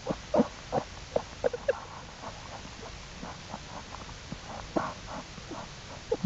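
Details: American black bear cubs of the mother bear Jewel exploring outside the den with her on April 2, 2012: short, bright squealing calls with harmonics, repeated in quick irregular bursts, loudest early on, with faint rustling between them.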